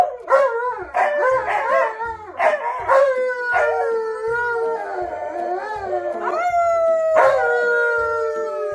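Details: K'eyush the stunt dog, excited during a treat and toy gift exchange, howls in long sliding wails that waver and fall, with short yelps between, over steady background music beats.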